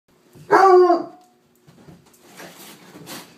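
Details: Bloodhound trying to play with a cat: one loud, drawn-out harmonic bark lasting about half a second, followed by quiet shuffling and rustling.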